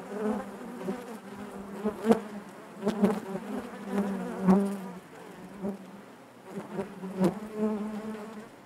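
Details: Honey bees buzzing inside their hive, a dense droning hum with a steady low tone and stacked overtones, swelling and fading in loudness with occasional sharp clicks and knocks.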